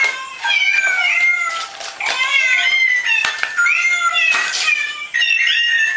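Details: Domestic cats meowing almost continuously over six seconds, several overlapping drawn-out harmonic meows, some rising then falling, with short breathy pauses between them.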